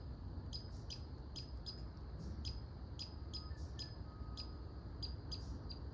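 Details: Quick, clipped barks from a red squirrel, high and sharp, coming in uneven bursts of two or three against a low, constant hum.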